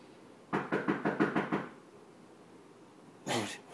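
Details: Niko, an 8-month-old English Bulldog, greets his owner coming home, excited: a quick run of six short harmonic grunting yelps in about one second, a quiet pause, then one broader noisy burst, indoors in a small room.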